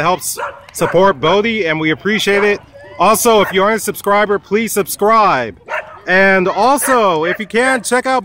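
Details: Wolfdog at a dog park, said to be threatening a man, giving drawn-out yodeling whines and groans that rise and fall in pitch in bursts of a second or so, mixed with a person's voice.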